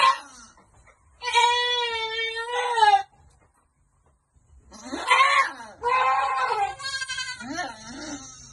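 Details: Goats on a farm bleating while being given vitamins: one long, wavering, nasal bleat of about two seconds, then after a short pause several overlapping, quavering bleats from more than one goat, rising and falling in pitch.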